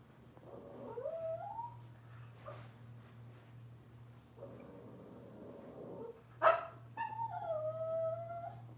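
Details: Puppies of Robin's Cavalier King Charles Spaniel litter whining indoors: a rising drawn-out whine, a sharp yip, then another long wavering whine, all over a constant low hum and some rustling.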